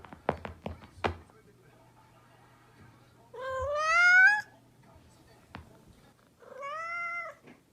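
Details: Indoor house cat, described as a mischievous cat, gives two meows, the first loud, long and bending upward, the second shorter and softer, after a few sharp thumps and knocks at the start and a single tap between.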